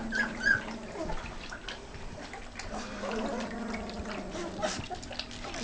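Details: Ten Great Dane puppies being weaned, crowded together at feeding; thin wavering whimpers drift over steady wet slurping and lapping of food, with a person's voice coaxing them in the background.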